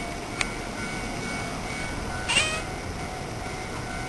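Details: A stray cat gives a single short, sharp mew midway through, with steady background hum and a faint earlier click.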